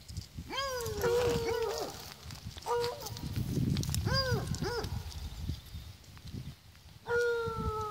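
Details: Braying from miniature donkeys in a series of arched, harmonic calls, some held and wavering, others short and hiccuping, spread across several seconds with faint low background noise between them.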